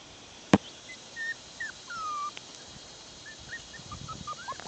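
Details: Six-week-old Bichon Poodle puppies playing outdoors give scattered thin whimpers, brief sliding tones that dip and rise, after a sharp knock near the start; quiet, open background.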